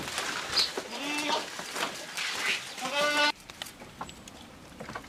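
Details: Jamunapari and Saanen mixed-breed goats at feeding time: several short wavering bleats in the first three seconds, harmonic and nasal, mixed with rustling leaves and clatter, then a sudden drop to quieter background.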